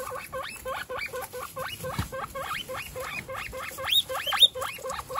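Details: One-week-old baby guinea pigs, kept as pets, make rapid repeated rising squeaks, about two per second, each sweeping upward in pitch, with faint rustling underneath.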